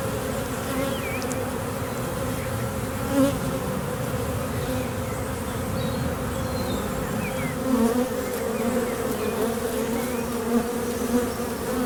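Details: A swarm of western honey bees, the year's first, seen on May 9 gathered in a tree and being rehomed into a skep basket, gives a dense, steady, low droning hum that never lets up; some fan with raised abdomens signalling to the colony.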